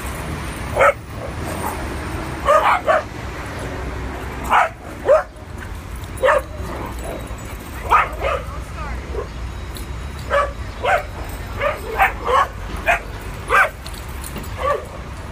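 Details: Adopted dogs at play in a NYC park for the first time; frequent sharp barks, sometimes in quick doubles, through most of the stretch, with low background traffic noise.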